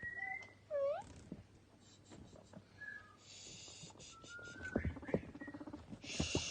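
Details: Pet guinea pigs Toffee and Fudge, two boys, in a happy playful mood, popcorning and snacking on carrot sticks; short rising and falling whistled squeaks with a bright U-shaped squeal early on, then rustling, crunching and brief hissy noise bursts.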